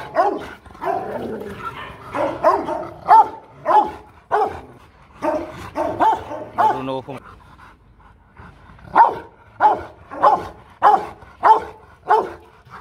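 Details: Powerful barking from a Rottweiler guard dog: rough, resonant barks in an irregular run with a man speaking at first, then a quieter pause and a steadier series of about six evenly spaced barks.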